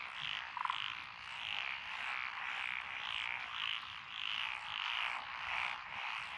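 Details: Chorus of several frog species in lotus rice fields of Echizen, Fukui, Japan, June 2021. Rhythmic rasping croaks repeat steadily from many frogs at once, with one brief lower cluck near the start.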